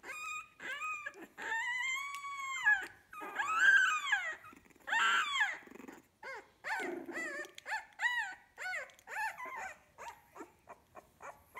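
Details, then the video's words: Young puppies, fifteen days old, from a kennel litter, crying with long arched whines that rise then fall, followed by rapid choppy squeaks and yelps that grow shorter and quieter toward the end. "Sweet puppies 15 days old"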